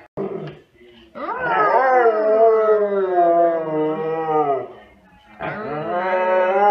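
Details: A group of Siberian Huskies calling out together with full force: a quick yelp, then a long steady, wavering howl held for several seconds, followed by a fresh rising cry at the end.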